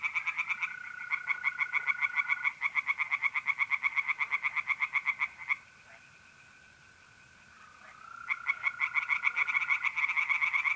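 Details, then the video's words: Tree frogs calling from a pond at night in mid-April, north-east Italy: long series of quick pulsed croaks, a pause of several seconds where only mole crickets trill, then the chorus returns. "relaxing singing tree frogs in pond and trilling mole crickets by night"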